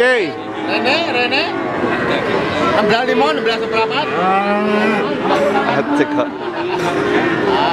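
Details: Market cattle in Pati, Indonesia, 5 March 2019, at Pasar Sapi Wagenan: several drawn-out moos, some sliding downward, rise above constant chatter and voices of the crowd.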